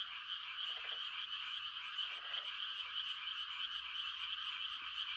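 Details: Frogs in the countryside at night during rice-planting season, giving mating calls as a continuous shrill, pulsing chorus. Two brief deeper croaks stand out near the first and second seconds.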